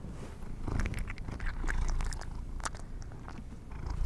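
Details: House cat eating treats: continuous low purring overlaid with quick crunchy bites and chewing clicks scattered throughout, busiest around the middle, quiet otherwise.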